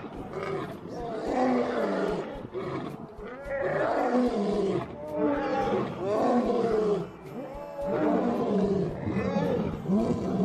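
A lion gives a run of deep, drawn-out roars that swell and fall in moaning waves every couple of seconds. Human voices murmur in the background between the calls.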